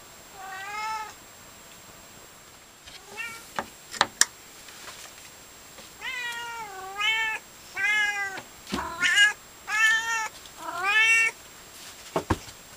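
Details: Scarlett, a pet Siamese cat, meows very loudly after waking from sleep on the heater, tired; a series of drawn-out, rising-then-falling wavering meows, about eight in all, some sharper and strained, with faint clicks between them indoors.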